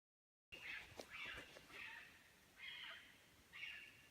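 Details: A fox calling at night gives harsh, raspy, high screeching calls, repeated roughly once a second with short gaps.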